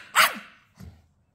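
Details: Twelve-week-old Staffordshire Bull Terrier puppy, a female, talking back while being told off: one short, sharp high yap that trails off, followed by a faint low grumble, with a woman's voice nearby.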